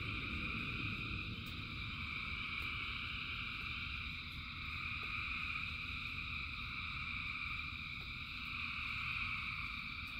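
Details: A huge frog chorus during rain: layered, unbroken high-pitched trills from many frogs merge into steady bands, while a low wash of falling rain fills the background and occasional drip clicks punctuate it.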